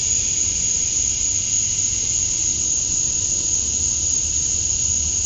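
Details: Summer-dusk chorus of male cicadas in Georgia, USA, calling to attract females, heard as a constant shrill hiss with a sharp high-pitched whine on top, even in loudness from start to end, nothing else audible.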